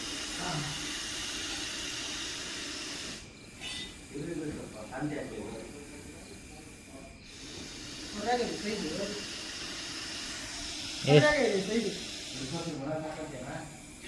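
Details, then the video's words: A big Russell's viper hisses during a snake rescue before being set free in the wild. Sustained airy hisses stop briefly every few seconds like breaths, while people speak close by. "ಬಾರಿ ಗಾತ್ರದ ಮಂಡಲದ ಹಾವು, ಅದರ ಶಬ್ದಕೆ ಬೆಚ್ಚಿಬಿದ್ದರು"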